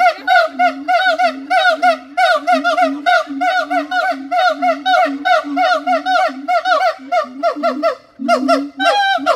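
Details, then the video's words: Siamang producing a dense, continuous chain of loud, reedy barking hoots, several per second, with pitch bending up and down on each note, ending in a sharper rising cry. "suara monyet siamang / gibbon monkey sound"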